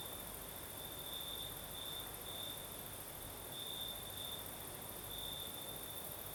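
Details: Crickets singing at night in the south of Crimea, with a night breeze: a steady high chirring band pulsing in bursts about every second, over a soft broadband wash of wind.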